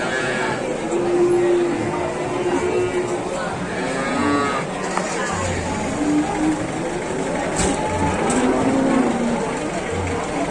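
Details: Calf from Indonesian livestock farming, lowing in a series of steady, harmonic moos of moderate pitch that rise and fall over about ten seconds, with a constant background hiss and faint low rumbling.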